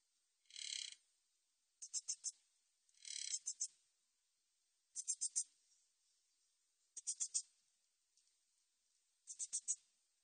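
Min's bush cricket gives high, hissing bursts of rapid ticks, repeated about every two seconds.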